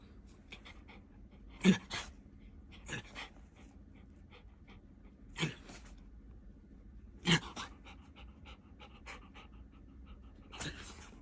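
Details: Tory the dog panting: clusters of breathy, rasping bursts every one to two seconds, with quieter puffs between them in a calm indoor setting.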